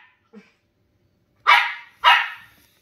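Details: Two Shetland Sheepdogs, tri-colour and grey, playing; a faint yip opens, followed after a pause by two loud, sharp barks about half a second apart in a quiet room.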